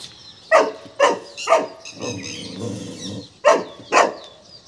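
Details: A Golden Retriever called Tiger, afraid of a peacock, barks three times in quick succession, pauses over a low rumbling murmur, then barks twice more.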